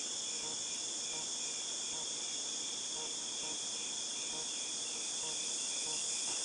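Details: Steady high-pitched cicada hum from August 2018, a dense ringing drone of even loudness, accompanied by soft irregular clicks lower down.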